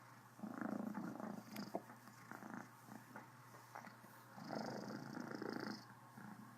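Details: Contented purr from Criquette, a Cornish Rex cat, full-on with hiccups; grainy throbbing purr in uneven surges, louder around the start and again near the end, with a small click between.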